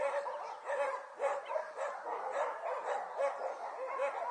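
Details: A litter of six-week-old Border Collie puppies at play in early January, a continuous chorus of overlapping high squeaky yips and whines repeating roughly every half second.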